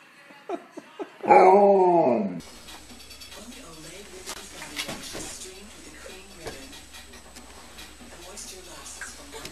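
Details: An Alaskan Malamute playing with babies gives a few short yips, then a loud drawn-out whining howl rising and falling for about a second, followed by soft voices and background noise.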